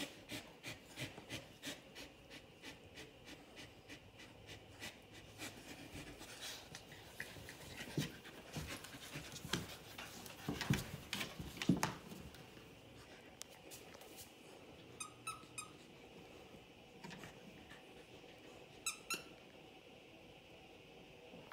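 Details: Two Keeshond dogs, Luca and his little brother Leone, play-fighting in a living room: fast, breathy panting about once a second, with scuffling, thumps and a few sharp knocks.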